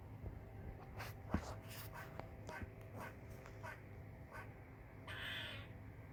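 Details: Squirrel giving loud chirping calls: quick, sharp chips repeated at uneven intervals, then a drawn-out wheezy rasp near the end, with a constant low hum behind.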